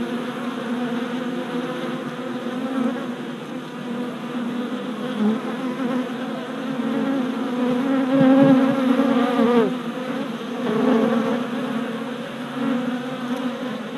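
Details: Worker honey bees performing orientation flights around a new hive in April 2017; a loud collective buzzing with pitch-bending swoops near eight and ten seconds as single bees dart close, over a steady background drone.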